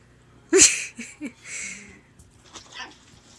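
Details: Female Yorkshire Terrier puppy playing in her pen, lonely without her sister: one sharp, high yip, then a few softer short yelps and a brief whiny note, with faint rustling afterwards.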